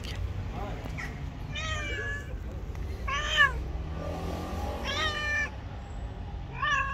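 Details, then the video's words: Angry white cat that would not let anyone come near it, giving four loud drawn-out meows, harmonic and wavering, each about half a second long, with steady low background rumble and faint traffic noise. "White cat was very angry and not allowed anyone to come to it"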